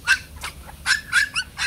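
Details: Bac Ha shaggy dog, a native Vietnamese breed raised at a breeding kennel, giving a quick run of sharp, high yelping barks, about six in under two seconds, separated by brief gaps.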